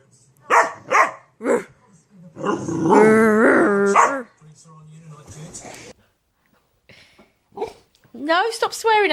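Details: Dog arguing with its owner: three short sharp barks, then a long sustained warbling growl-moan, and after a pause a rising and falling whine, with human voices between.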